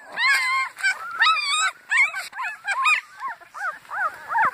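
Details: A litter of Annie's puppies in a howling chorus: thin, quavering howls that rise and fall, broken into short repeated wails and squeaky yips, several pups calling over one another.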